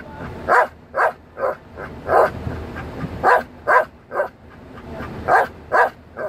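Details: A male Belgian Malinois "sings" along to music, giving a quick series of short, yelping barks, one roughly every half second.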